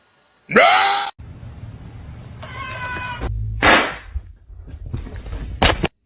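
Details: Pet cat indoors, one loud rising-then-falling meow lasting about half a second near the start, followed by quieter harmonic voice sounds, a short bright burst and a sharp click, over a low background hum.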